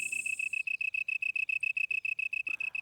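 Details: Male long-tailed tree cricket singing from inside a hole he has cut in a leaf, with leaf and wings held level to more than double the loudness: clean, high, ringing pulses repeated rapidly and evenly, with a brief click near the end.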